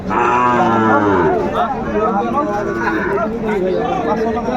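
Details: Sahiwal bull calves bought by Dhaka farmers at a livestock market, 27 January 2025: a loud, wavering moo in the first second, then people talking nearby while lower calf sounds continue.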